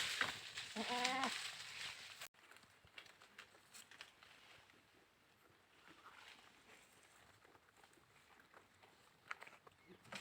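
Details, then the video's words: Goat giving one wavering, nasal bleat with stacked harmonics lasting about half a second near the start, then a long quiet stretch with faint clicks, rustles and distant background noise. "goats sounds"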